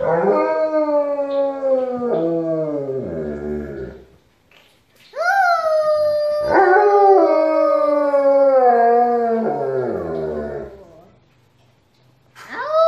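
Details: Alaskan Malamute howling along with its family in a home choir: long drawn-out harmonic howls that slide and waver, several voices overlapping, with a pause near the middle before a second rising howl swells and fades.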